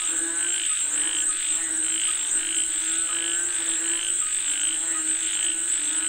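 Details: Frogs calling for rain in a thick chorus, repeated pulsed notes around twice per second mixed with deeper croaks and a steady shrill background drone.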